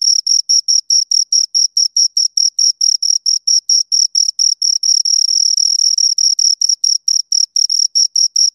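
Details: High, rhythmic chirping from two crickets. Distinct rapid pulses run at about four per second, then briefly blur into a near-continuous trill around the middle before separating again.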